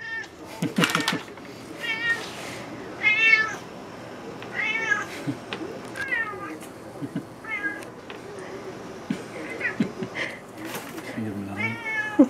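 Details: Cat meowing nonstop after smelling salmon: a rapid series of nasal, harmonic meows, some rising and falling, repeated every second or so, mixed with a person speaking and clattering kitchen sounds.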